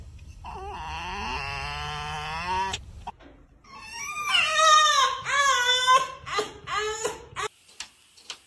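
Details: Pet fox named Foxy, indoors, gives a run of high, wavering whines and squealing cries that rise and fall in pitch. The calls come in bursts with short breaks, and a person's voice speaks softly nearby.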